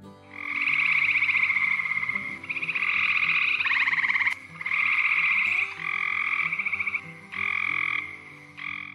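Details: Gray treefrogs (Hyla versicolor) calling in spring at The Ridges Sanctuary, Door County, Wisconsin, give raspy, pulsed advertisement trills, each one to two seconds long, repeated with short pauses; often calling high in trees.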